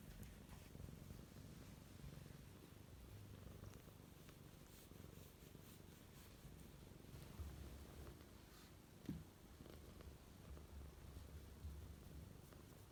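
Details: Indoor pet cat seeking affection while the dog is absent, purring quietly in a low even rumble that carries on for the whole stretch, one brief faint click midway.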